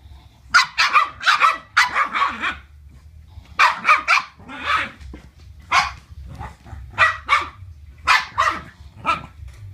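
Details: Playing Boston Terriers bark in rapid clusters, sharp yappy calls repeated several times a second, broken by brief silences and then resuming in pairs and short runs.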